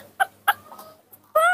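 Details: Spoiled baby monkey throwing a morning tantrum while drinking milk: two short shrill harmonic squeals, a faint wavering cry, then a louder, sustained squealing wail at the end.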